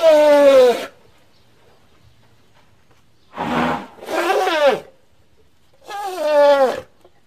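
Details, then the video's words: Young elephant at play gives short harmonic hoots, each under a second, falling slightly in pitch. A rough, breathier call comes in the middle, with quiet gaps between calls. "A pretty baby elephant and such a defenseless hoot is not at all small"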